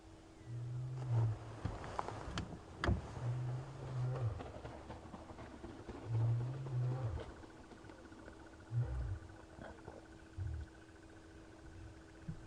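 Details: Male lions lying near a buffalo carcass at sunrise on 13 August 2015 in Sabi Sand, South Africa give soft, deep contact-call grunts every two to three seconds, one moving away, over faint engine hum.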